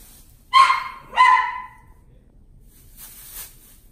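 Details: A Scottish Fold cat at a pet shop in Omihachiman, Japan, gives two clear, high meows, each sliding downward at the end.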